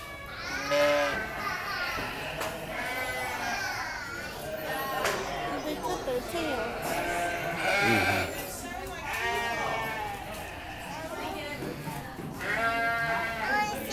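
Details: Lambs crying in a way that sounds like human babies: wavering, harmonic bleats rise and fall in repeated bursts, overlapped by people talking throughout.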